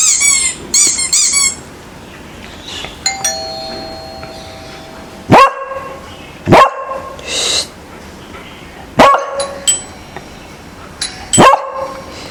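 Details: Pet beagle indoors barking in reaction to strange sounds being played, with a ringing doorbell chime followed by four loud, sharp single barks spaced a couple of seconds apart.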